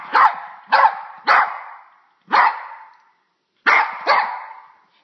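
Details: Frightened by a bug, a dog gives six loud barks, three quick ones in a row, a lone bark after a pause, then a final pair, each with a short fading tail.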